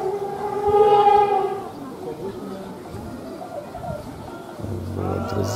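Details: Two female elephants at Taigan lion park give a short, brassy trumpet blast, a calm call of thanks to visitors after receiving treats, as they head home.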